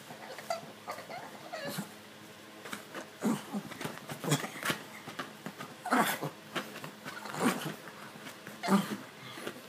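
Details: Indoors, the pug Stitch scratches at his itchy neck, producing irregular soft grunts and snorting breaths, several clustered in the second half, against a quiet room background.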